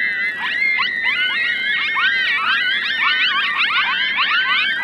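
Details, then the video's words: Five coyote pups answer their mother's howl, which signals her return, with a chorus of howls. Many wavering, overlapping high howls and yips sound together without pause, rising and falling in pitch throughout. "5 Coyote Pups Howling"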